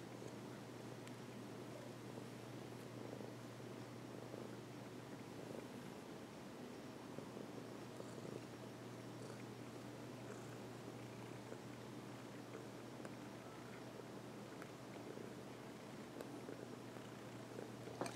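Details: Domestic cat purring while resting on a person's lap; a soft, continuous low rumble runs steadily through the whole recording, with faint rustles and no other clear sounds.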